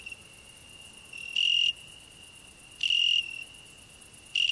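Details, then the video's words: Cricket on a rose bush sharing the shrub with a singing grasshopper: an unbroken high thin trill with three stronger buzzy pulses, each lasting about a third of a second, spaced roughly one and a half seconds apart. "Cricket and grasshopper singing"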